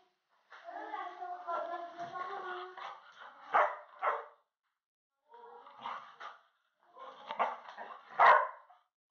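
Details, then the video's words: Labrador Retriever puppy greeting boys as they return home, giving a long, tonal, wavering whine followed by short sharp yips and excited bursts, with human voices mixed in. "Labrador puppy’s long lasting love when boys returned home"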